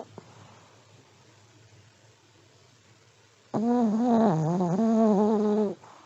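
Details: Sleeping senior Pomeranian: after a few seconds of near silence, a single drawn-out snore of about two seconds, a buzzy low drone that wavers slightly in pitch before stopping abruptly.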